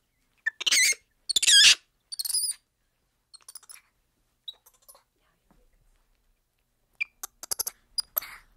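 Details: Black-handed spider monkey uttering three harsh, shrill squeals with whistled overtones in quick succession, followed by scattered faint clicks and soft notes, then a burst of sharp clicking squeaks near the end.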